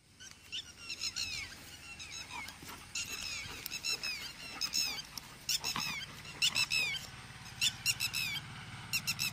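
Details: A Golden Retriever puppy at play gives high, squeaky whines that slide downward, repeated in quick irregular bursts.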